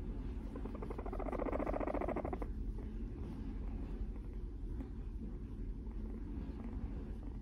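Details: Affectionate four-year-old female Abyssinian guinea pig named Moru-chan cuddling up to a brown skirt at home gives a pulsed, vibrating purr of roughly one and a half seconds, followed by constant low hum of a running dishwasher and passing traffic.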